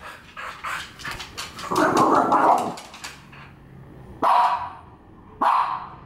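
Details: Angry female French Bulldog confronting a French Bulldog figurine: a rough, drawn-out growling bark, then two sudden single barks spaced about a second apart, with a woman's voice in the background.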